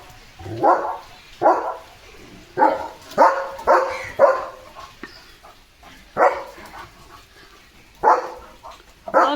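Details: Leo, a German Shepherd, barking during his playful morning routine outdoors as rain approaches; short loud barks come in irregular bursts, sometimes paired, roughly every second or two, with a person talking in Marathi between them.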